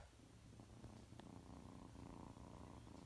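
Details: Three six-week-old orphan kittens, Boomba, Bumble and Bee, rescued at one day old, asleep in a lap indoors; a soft, steady low purring rumble runs throughout, with faint rustling.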